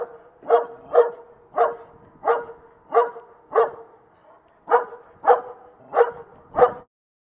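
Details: Dog barking, offered as a dog sound for children: ten short, sharp barks with a steady tonal core, in two runs of five separated by a brief pause near the middle; nothing else audible.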